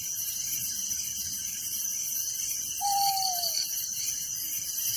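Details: A dense, steady chorus of crickets trilling high and unbroken through the night in a village. Cricket.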